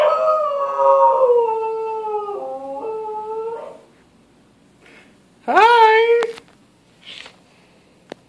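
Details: Pet dog howling in response to a siren; long wavering howls sliding slowly downward for nearly four seconds, a pause, then a sharp rising yelp-howl and a few short fainter cries.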